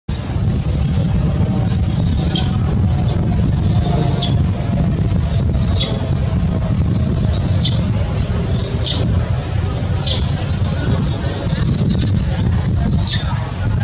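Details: Baby monkey that lost its mother, crying from hunger and wanting milk: a run of shrill, arching squeals, each rising sharply then falling, repeated about every second over a steady low rumble like traffic.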